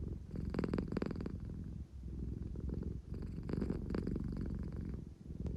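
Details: Claire the American Shorthair purring in an engine-like rumble, sleepy and seeking affection; low throaty vibration with stronger rasping bursts early on and again near the middle, breathing rhythm clearly audible.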